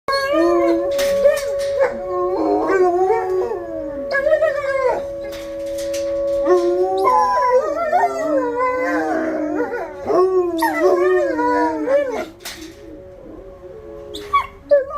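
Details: Two pet dogs, Ryuk and Ookla, held in a kennel before feeding, howl during the monthly tornado siren test: long wavering overlapping howls that rise and fall, breaking into higher yelping notes, over a steady droning siren tone.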